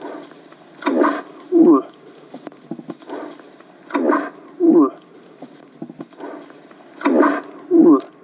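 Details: Young bull moose's bellow, recorded live in October 2020 and played back for calling; the male wants to fight. Paired calls repeat about every three seconds: a rough, broadband grunt, then a short wavering low moan, with a man talking faintly between them.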